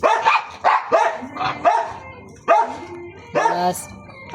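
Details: Dogs barking and yelping in quick, uneven bursts, several overlapping calls with a whining tone, while a person talks over them in Filipino.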